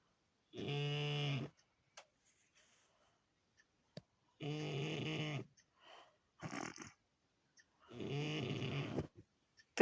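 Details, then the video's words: French Bulldog asleep at home after guarding the house all day, its snore said to rattle glasses in the cabinet: three loud, rasping, harmonic snores about a second long, spaced roughly three to four seconds apart, near-silent pauses between. "ХРАП МОЛОДЕЦКИЙ !"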